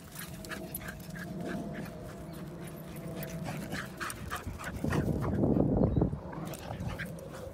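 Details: A Tibetan Terrier and a Jack Russell Terrier play together in Morden Park. Low, rough growling and panting rumble on, swelling into a louder noisy burst of scuffling play near the end.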